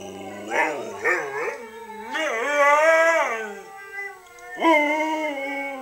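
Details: Doris, a three-year-old pet Siberian Husky, howling in reply: wavering, strongly tonal howls with short yips, several rising and bending phrases and a longer drawn-out howl in the middle.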